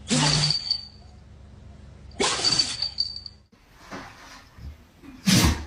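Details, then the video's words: Dogs sneezing: three sharp, explosive bursts about two seconds apart, each a broad hiss. A thin ringing tone lingers briefly after the first two, with a softer snuffle in between. "Cutest Sneezing Dogs Ever!"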